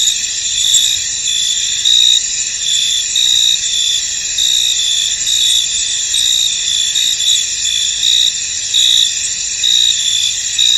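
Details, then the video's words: Crickets in a misty, foggy field: a dense, continuous high-pitched chorus of trilling chirps, with brighter pulses recurring roughly every second over a steady shimmering background, no other clear sounds. "Tranquil Cricket Sounds In An Misty Field"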